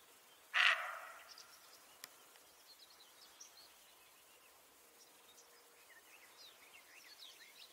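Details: In a forest, a single sharp, harsh deer call rings out once, then faint birds chirp in the background.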